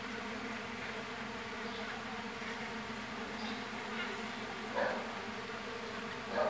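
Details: Continuous low buzzing of a strong Mandaçaia stingless bee colony with big brood discs during division, a smooth steady hum with a soft knock near the end.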